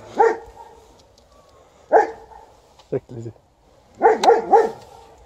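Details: Liza, a White Swiss Shepherd, barking at an Alaskan Malamute she has not yet seen; loud harmonic barks, one at the start and one near two seconds, then a short low sound and a quick burst of three barks.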